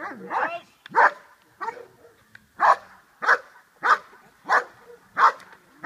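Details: Dog named Che doing the hold and bark exercise in Schutzhund 1 protection training: loud, sharp barks repeated about every 0.6 seconds, some slightly uneven in spacing, with faint background noise between them.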